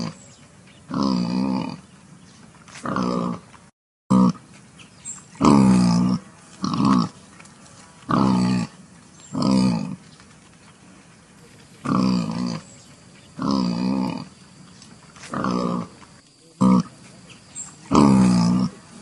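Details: Wild boar giving a series of short, harsh grunting calls in separate bursts roughly every one to two seconds, low and rough with a faint steady background hum.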